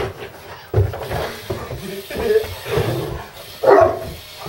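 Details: Two-year-old Harlequin Great Dane barking indoors at an electric screwdriver used to assemble a new desk; several short, deep, gruff barks scattered through the clip, mixed with a person talking.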